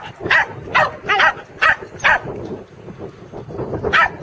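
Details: Corgis Teddy and Jack bark while herding sheep at Island Crossing Farm, Arlington, on 3/27/11, their second try. Loud, bright yaps come roughly every half second, then fade into softer, muffled barks toward the end.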